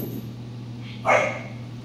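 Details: Home-raised Giant Schnauzer puppy, 14 weeks old, in early obedience and personal protection training, gives a single sharp, bright bark of about a third of a second midway through, over a steady low electrical hum.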